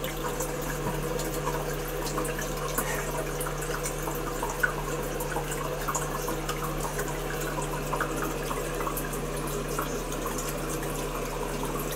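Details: Running water hisses steadily in a small room above a constant low electrical hum, and no animal voice is present.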